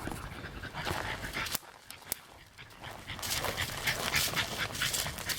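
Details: Four-year-old female French Bulldog, indoors and fixated on an electric insect racket, panting in rapid noisy breaths about four per second, with a brief quieter pause midway before the harsh breathing resumes.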